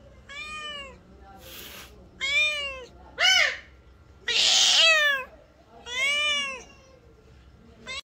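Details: Khao Manee cat, a breed originating in Thailand, meows repeatedly indoors: about six tonal, slightly arched calls roughly a second apart. One louder, rougher, more urgent call comes midway, with brief noisy breaths between.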